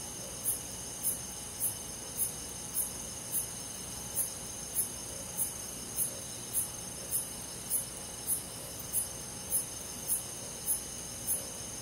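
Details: Rural summer-night forest with crickets. Bright, high chirps repeat at a steady rate of about two per second over an unbroken shimmering insect drone, backed by a soft low background hum.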